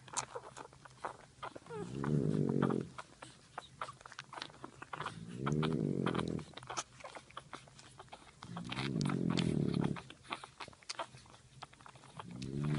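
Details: French bulldog mother asleep while breast-feeding her puppies, giving long rasping snores of about a second each, every three to four seconds, with scattered clicks and soft movement noises between breaths.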